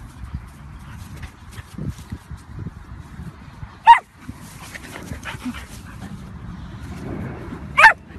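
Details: A bulldog barks twice, each a short, sharp burst about four seconds apart, over a steady low rumble of household background noise.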